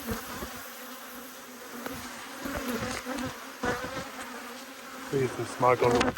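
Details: A constant humming drone rises from two angry honey bee hives during an inspection in March 2022, with scattered taps and a few words spoken near the end.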